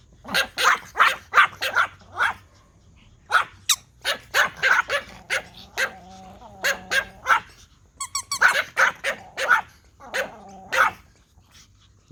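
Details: Pomeranian toy dogs react to a whistle with rapid, overlapping high-pitched yapping. Quick runs of barks are broken by a short whine and a trilled whistle blast midway.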